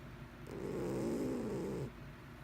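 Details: Mr Whiskers, a pet cat, gives a single drawn-out snore lasting over a second, low and buzzy with a faint rising-then-falling tone, in a quiet indoor room.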